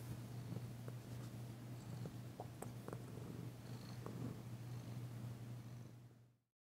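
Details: Danci the cat, still shy but enjoying a massage, keeps up a smooth low purr with faint rubbing and tapping sounds, until the sound cuts off abruptly near the end.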